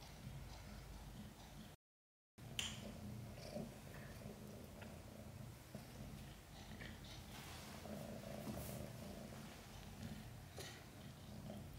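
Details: Purring of Chan, a domestic mother cat in labor with five kittens after a hard delivery with backward births; continuous low throbbing rumble, a brief silent gap early on, and light rustling in the background.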